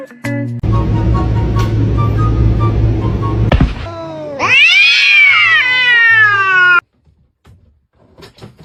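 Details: Gray pet cat in a funny compilation, one long loud meow that climbs then slowly falls and trails off, following a few seconds of background music; brief quiet after.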